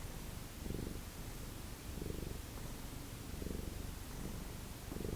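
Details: Rhythmic purr of an indoor Lucky Ferals cat in the morning, low rumbling pulses rising and easing in a steady cycle a little over a second apart, nothing else clearly heard.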